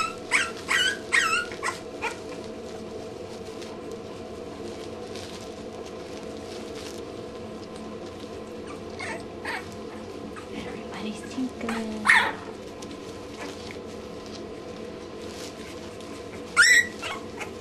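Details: English Bulldog puppies at two weeks old give scattered brief squeals and whimpers, a cluster at the start, then single cries near twelve and seventeen seconds, over a constant background hum.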